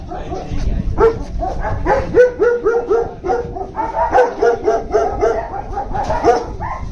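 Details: Several German Shepherds bark together in a busy chorus: sharp, overlapping barks follow one another rapidly, about three or four each second, with no pause in the clamour.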